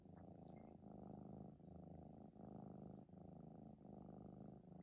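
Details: A 14-week-old male polydactyl red tabby Maine Coon kitten purring indoors while his toes are played with. The deep, rumbling purr swells and dips in phrases of about a second, with brief breaks between breaths.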